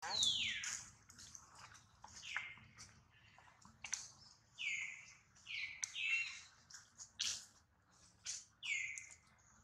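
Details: Baby monkey crying loudly after being hurt, a series of high, sharp descending squeals repeated about every second, with faint speech and splashing in the background.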